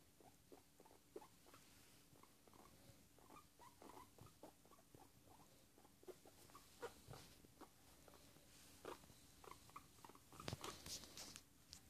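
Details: Guinea pig (Cavia porcellus) relaxing, making soft, quick chuts and squeaks; contented chutting expressing contentment and pleasure.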